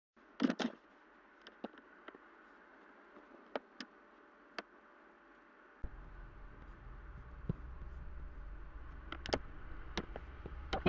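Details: Quiet car interior with scattered clicks and taps, then a steady low engine rumble from about six seconds on.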